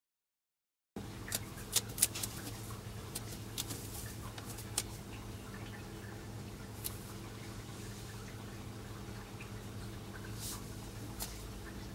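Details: After a second of silence, a low indoor hum continues with faint drips and small knocks scattered throughout; no animal call is heard.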